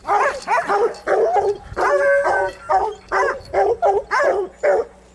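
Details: Arkansas female coon dog barking while fighting a raccoon: about eight loud, hoarse, harmonic barks in a steady rhythm, roughly one every half second, some drawn out into short bawls.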